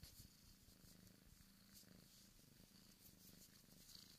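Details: Bengal kitten, a male born in 2015 at a cattery, purring steadily: a low continuous rumbling purr with a rapid pulsing texture, quiet and close.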